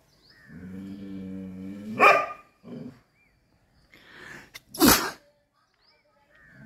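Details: Chippiparai dog fighting monkeys: a long, low, harmonic growling whine builds for about two seconds, then breaks into a sharp bark, followed by a short grunt and a second loud bark near five seconds.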